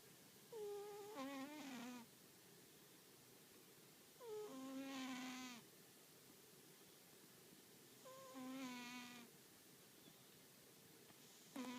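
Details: American Shorthair cat napping in the afternoon and snoring loudly: tonal, whistle-like snores with stacked harmonics, each lasting about a second and repeating roughly every four seconds over a quiet room background.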